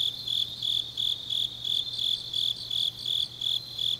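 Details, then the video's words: In Changnyeong, Gyeongnam, on a late autumn night, grass insects pulse out high, bright chirps in a fast even rhythm, about three per second, backed by a quieter higher trill and a low droning hum. "깊은밤 가을 풀벌레 소리"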